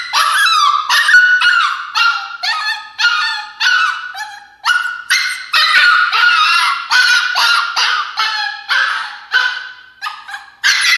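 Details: Throwing a fit inside her crate, a female Alaskan Klee Kai puppy screams and yelps nonstop, rough piercing cries tumbling about twice per second with barely a breath between them.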